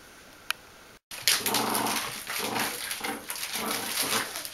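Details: Bichon Frisé puppies aged 8 weeks and 5 days at a kennel in Vejle, Denmark: after a brief click and short silence, a run of rapid, uneven whimpering yips with scratchy, rustling noise throughout.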